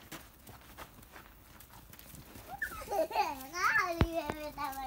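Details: Two-month-old Georgian Shepherd (nagazi) puppies during their vaccination. Over the last two seconds comes a run of high, wavering whines and yelps, each arcing up and down, with people talking nearby.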